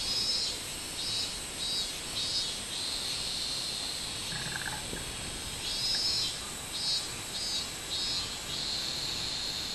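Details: Minmin cicada singing on 24 July 2016: a high, buzzy drone broken into pulsing swells about every half second, in two bursts early and late, over a steady hiss from other insects.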